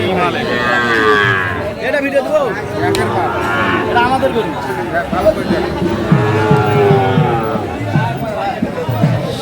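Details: Cattle lowing at the Aftabganj haat livestock market in Dinajpur, where Friesian and crossbred bull calves are sold, 2 October 2024; repeated deep moos overlap with busy market chatter and a man's voice.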